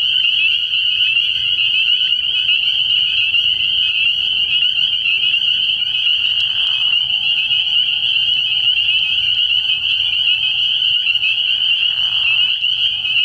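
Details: Early-year night chorus of spring peepers at a frog pond: countless shrill peeps merge into one steady, piercing band of sound, broken twice by short lower rasping bursts, over a soft low background rumble.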